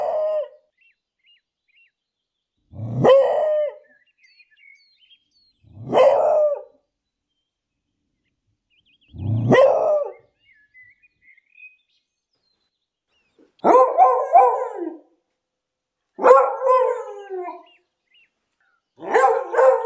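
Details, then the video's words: A beagle out walking in a city park gives loud, baying barks spaced a few seconds apart, with silence between them. "Beagle barking in the city park. Loud english beagle dog sound."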